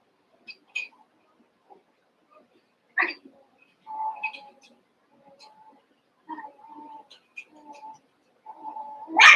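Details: Cavalier King Charles Spaniel puppies, two litters merged into eight playing together; soft, scattered squeaks and thin whines, a few sustained mid-pitched whimpers, finishing in a louder high yelp.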